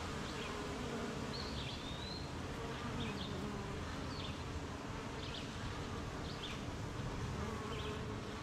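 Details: Honey bees at a beehive on a rainy morning, busily making honey; an unbroken low buzzing hum beneath steady hiss, with several short high bird chirps and one sliding whistle early on.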